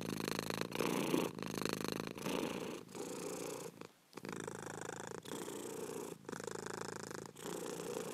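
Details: Cat purring in even, rhythmic pulses, a soft buzzing rumble rising and falling with each breath, broken by one short pause about halfway through.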